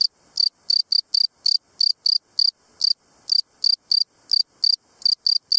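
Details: A field cricket (Gryllus campestris) sings loud, pure chirps, about three each second, in a steady even rhythm.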